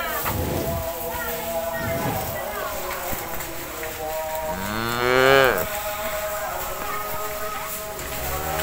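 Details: Cattle eating grass in a cowshed; one clear arching moo around five seconds stands out, with rougher low bursts early on and a persistent hum throughout.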